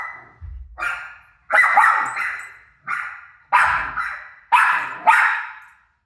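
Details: Pet dog Rosie barks back at her own barking playing on TV: a string of loud, rough barks spaced roughly a second apart, some doubled, with a soft low thump near the start.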